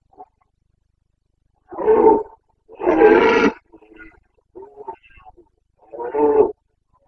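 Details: Rutting Carpathian stag roaring in Bucovina, Romania, 29 September 2022: three strong, rough roars, the middle one longest at nearly a second, separated by softer short grunting calls, in still surroundings.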